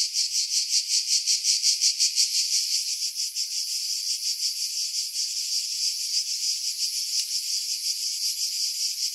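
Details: Pine-wood cicadas at Pefkos Bay on Skiros, Greece, July 2018, recorded with a Sony RX3 and external mic; a shrill continuous buzz with strong pulses early, then a steadier, slightly softer throb.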